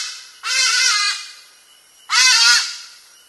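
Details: Near Nyonié, Gabon, a sitatunga crossing a rainforest creek, filmed by trap camera and scared by a hadada ibis, gives two rough, hoarse, honking, bark-like calls under a second each, about 1.5 seconds apart, against quiet forest.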